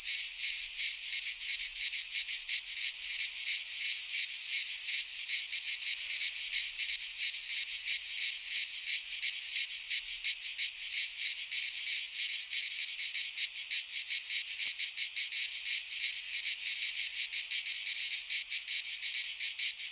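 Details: Midsummer cicadas in a pine forest in Greece produce a relentless, high, sizzling buzz made of fast regular pulses, steady in loudness across the whole stretch, with no birds or voices.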